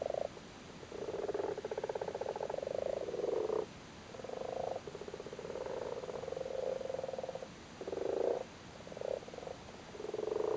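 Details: Common frogs crowded on their spawn in a flooded cattle grid in Cork, Ireland, calling while breeding: a steady chorus of low rattling, purring croaks in runs of one to three seconds separated by brief lulls.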